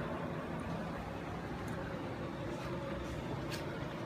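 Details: Dense broadband noise resembling passing vehicles or roadway traffic continues without any distinct animal sound.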